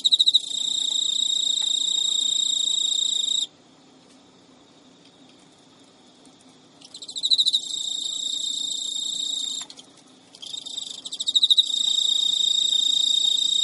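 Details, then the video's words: Male Emma field cricket, kept as a pet in Japan, persistently courting a female who ignores him, at midnight in early September; high continuous trill, a long pause, then pulsed restarts and renewed steady trilling. "Cricket Courtship Song Failed エンマコオロギの交尾拒否"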